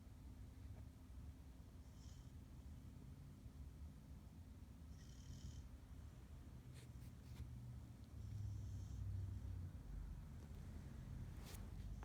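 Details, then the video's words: Nova the Pit Bull snoring loudly in her sleep, a low continuous rumble with faint whistled breaths, a few sharp clicks, and a louder snore near the end. "Snoring Pitbull"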